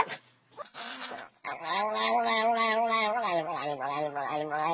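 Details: Dog making a funny sound indoors: after a few short noises, a long, wavering, howl-like vocal with strong harmonics that holds steady, dips and bends for about three seconds, almost like singing or talking.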